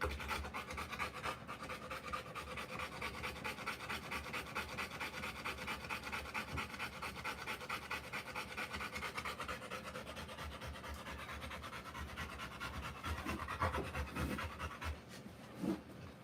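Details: Panting of a Rottweiler giving birth to puppies, between deliveries; long run of quick, even breathy pants, slightly slower than twice per second, with some rustling toward the end.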